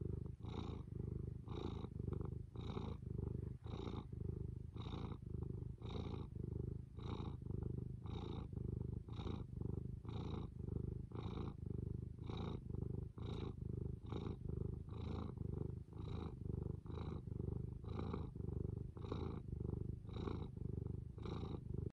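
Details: Continuous purring from Fū the cat, a low throbbing drone that swells and dips in regular breath cycles about every 0.8 seconds, with soft breathy hiss on each cycle; quiet indoor setting, nothing else audible.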